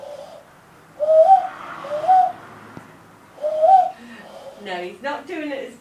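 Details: West Highland White Terrier howling like a wolf: three short wavering tonal howls, each rising then falling, spaced a second or more apart, followed by a brief human voice at the end.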